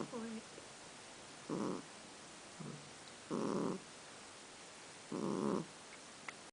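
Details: Male kitten snoring after being woken up, snores slightly altered in length and tone; soft raspy breaths repeat roughly every 1.7 seconds, some longer and drawn out, with a brief voice-like tone at the start.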